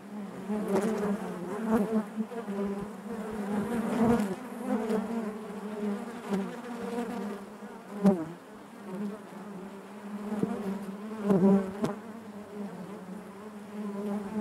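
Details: Inside a honey bee hive, many bees make a continuous droning hum, its low tone wavering slightly while occasional knocks and crackles cut through the buzz.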